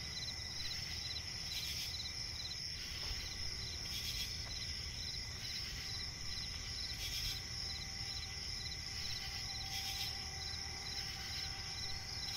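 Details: Night chorus of crickets in a forest swamp, a constant shrill high trill layered with rapid pulsed chirping, interrupted by short airy bursts about every two to three seconds over a low hum.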